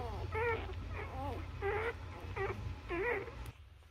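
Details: Nursing newborn Labrador Retriever pups let out five bent, whiny squeaks spaced about half a second apart, each a short wavering cry, before the sound cuts off near the end with only a low hum left.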